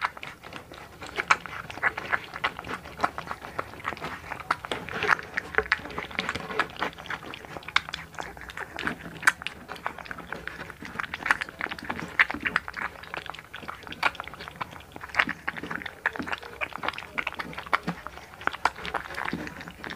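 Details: Steady munching from Hunter, a blue American Bully puppy one month old, born November 18, 2019: continuous sharp smacking and crunching clicks packed close together for the whole stretch, faint voices in the background.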